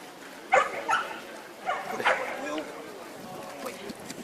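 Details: A Lab puppy meets a large bear-cross dog during training; two short sharp barks about a second apart, with a person talking nearby.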